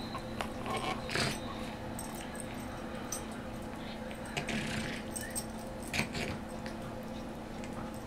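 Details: Benji, a Morkie (Maltese/Yorkie) rescue dog, snorts and snuffles from a chronic nose problem during his morning play session in an office, not growling. Short breathy bursts come at uneven intervals, mixed with faint jingling and scraping from his toys.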